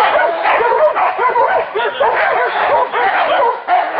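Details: Pack of hunting dogs going after a wild boar, barking continuously in a thick, overlapping chorus with yelping notes and no pauses.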